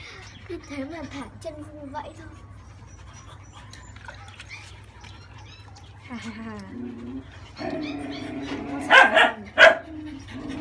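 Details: Thirty-day-old French Bulldog puppy, female, whimpers during a bath to wash crusted matter from its coat: high, bending whines with stacked overtones, a few short yelps near the end, with human speech and splashing water around it.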